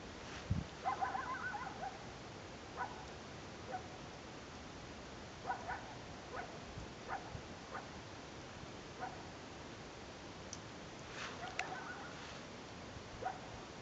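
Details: Coyotes, heard every year at the top of Mill B South near Lake Blanche in Big Cottonwood Canyon, give short, high yips and barks, spaced irregularly over a steady background hiss.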